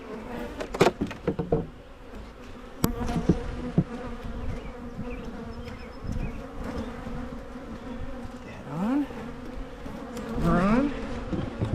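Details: Steady humming of Carniolan honey bees at Michigan hives being split to reduce swarming, broken by knocks and clicks of hive handling early on, then two swelling fly-by buzzes near nine and ten seconds.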